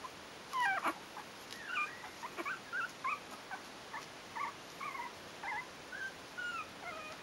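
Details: Four-week-old Yorkshire terrier puppies from kennel litter "A" produce a steady string of short high-pitched squeaks and whines, roughly two each second, some rising and some falling.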